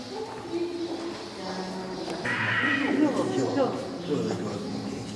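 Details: Shijimu the snow leopard crying: one drawn-out, harmonic, wavering cry about halfway through, with human voices chattering around it.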